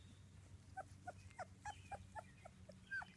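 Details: Two-week-old British Labrador Retriever puppies from a litter of six, giving faint, thin whimpers indoors, about three per second, steady short squeaks over a low background hum.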